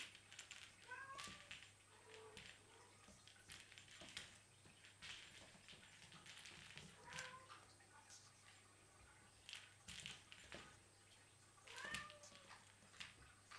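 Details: Nine kittens of Cheeta and Poema playing in their specially furnished playroom; short, high, bending mews come at intervals, around one, seven and twelve seconds, amid constant clicks, taps and rustling of play indoors, with a steady low hum.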